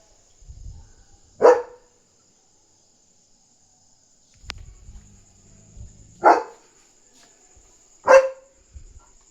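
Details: German Shepherd barking at night on guard, alerting that another dog is outside; three loud, sharp single barks spaced irregularly over nine seconds, with faint low rumbling between them.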